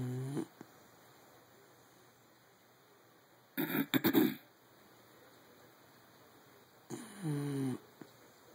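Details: Mario, a sleeping pet dachshund, snoring indoors: a short snore at the start, then two loud rasping snores about three seconds apart, each lasting under a second, with quiet room background between them.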